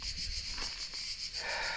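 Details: High, evenly pulsing cricket trill from a deep forest, rapid regular throbs, joined near the end by a broader breathy hiss.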